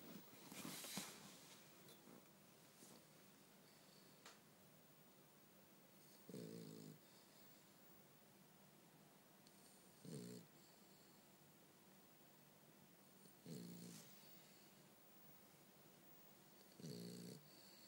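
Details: Bumble B, a French Bulldog, snoring while asleep indoors: four low, buzzy, rattling snores, one every three to four seconds, each lasting about half a second, with quiet breathing between them.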